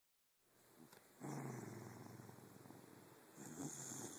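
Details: Jake, a pet dog, sleeping at night and filmed on a phone in the dark, gives a low rumbling, pulsed growl that starts after a brief silence, swells, and holds steady with a louder surge near the end.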